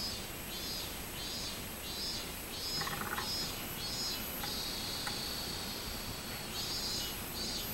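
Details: Robust cicada on 24 July 2016, repeating high pulsing notes that merge into a sustained drawn-out buzz midway. A second, higher pulsing insect joins at times, and a short mid-pitched burst sounds near the start.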